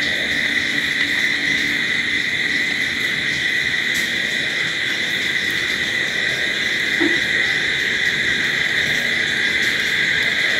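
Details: Night crickets forming a continuous shrill drone, several high pitches held steadily throughout, with a brief faint click near the fourth second and a soft low background hum.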